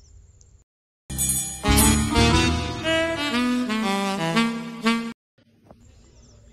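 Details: Saxophone-led jazzy music plays for about four seconds between short stretches of quiet background noise, with no animal sound heard.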